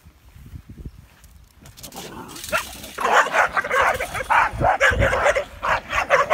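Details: Olde English Bulldogge named Rosie, in training in Central Minnesota: a quiet start with low rustles, then loud, rapid, broadband barks from about the third second, coming roughly every second in uneven bursts.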